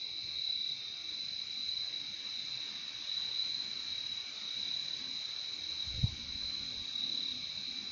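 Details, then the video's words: Nonstop high-pitched cricket chirping from a soothing nature recording, with a single sharp click near the end. "Relaxing sound of crickets"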